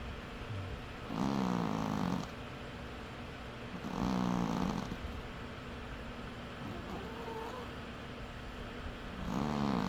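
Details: Snoring cat while sleeping: three rasping buzzy snores spaced about three seconds apart, over a low background rumble and a faint thin whine.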